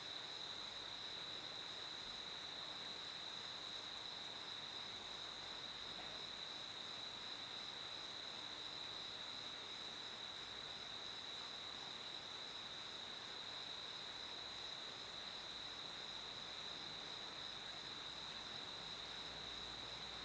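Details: A cricket's continuous shrill trill holds one level, high tone throughout, with a soft wash of broadband hiss beneath and nothing else standing out.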